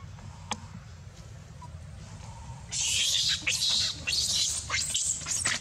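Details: Baby monkey Dito crying and screaming over having no milk, biting Anya; after quiet background hiss, loud shrill screams burst in halfway through and repeat in ragged, high-pitched bursts to the end.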